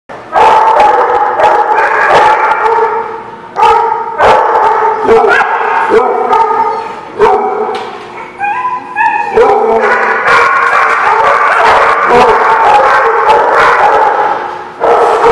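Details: Many dogs barking together at The Barking Lot on 5/19/17: dense, overlapping barks, nearly continuous, with short lulls and a few higher yips rising above the chorus.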